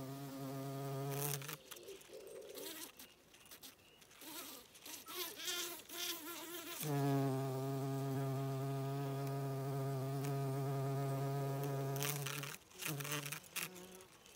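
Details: Bees foraging on foxgloves on a regenerative farm in County Kilkenny, Ireland. Deep, rich humming flights come near, with one long steady buzz lasting about five seconds, and softer buzzing fragments before and after.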